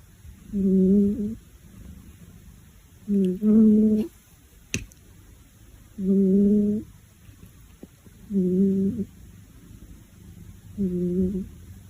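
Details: A domestic cat purring loudly, with a kitten lying beside it kept awake by the noise. The clip holds five low, humming harmonic bursts, each under a second long, about every two and a half seconds, in a quiet room.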